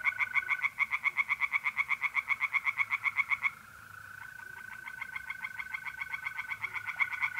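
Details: Night chorus of tree frogs at an Italian pond in mid-April: a loud run of rapid croaks for over three seconds, then fainter, more distant frogs pulsing on alongside a continuous mole cricket trill.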